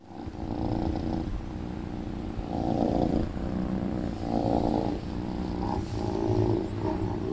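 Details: Tabby cat purring loudly, a deep rough rumble likened to a wildcat's, pulsing in slow waves of a second or two with breaths between, close to the recorder.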